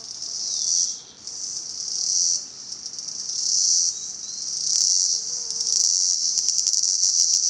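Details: Cicadas calling in Salta, the high buzz swelling and fading in waves about every one and a half seconds, then settling into a rapid rattling pulse near the end.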